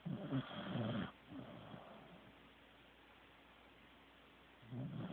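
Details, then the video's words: A sleeping Corgi called Teddy opens with a thick, low, rattling snore about a second long. A softer breath follows, then a long quiet pause before the next low snore begins at the end. "Teddy SNORING"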